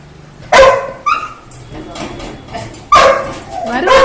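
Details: Labrador Retriever excited as the father of the house returns, wagging its tail: loud harsh barks and higher whining yelps spaced irregularly over four seconds, mixed with a woman speaking in Tamil.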